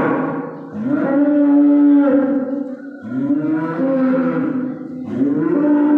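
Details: On the day before Eid al-Adha, a calf moos repeatedly: a series of long, steady, tonal bellows, one after another with short dips in loudness.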